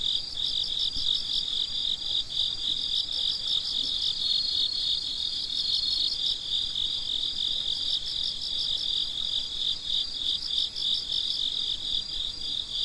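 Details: Crickets at midnight, a chorus of many chirping together: a steady high band of rapid pulsed chirps with a second pulsing layer just above it, continuous throughout with no gaps and no other sounds.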